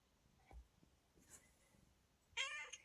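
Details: A cat in the hills that wakes its owner every morning, having climbed in through the window and kept crying; after quiet room noise, a single short, bright, high meow with a strong harmonic stack closes the recording.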